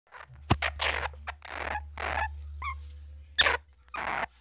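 A flying squirrel gives harsh, hissing bursts with a brief rising chirp, over a low steady hum.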